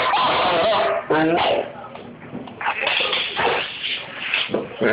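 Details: A female Doberman puppy almost ten months old throws a tantrum, letting out loud, harmonic whining yelps and complaining barks in a rapid, uneven series, with a human voice mixed in.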